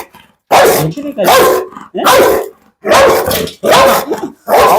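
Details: Hefty Pit Bull called a terror for its temper, giving a run of loud, gruff barks close to once a second, fairly evenly spaced, with a man talking in between.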